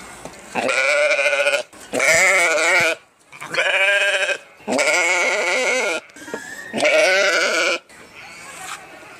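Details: Sheep giving a run of five loud, quavering bleats, each about a second long, with a rich, buzzy, trembling tone, spaced by short pauses.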